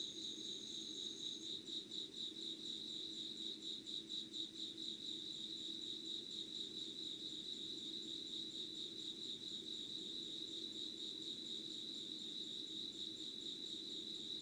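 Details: Late-August insect chorus at 5 a.m. in Yugawara, Kanagawa Prefecture, Japan: continuous shrill pulsing trill, throbbing roughly twice a second, with a brief higher steady tone at the start and a faint low drone underneath.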